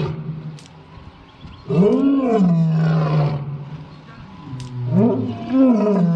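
An African lion gives deep, drawn-out roars that swell upward and then sink into a long rumble.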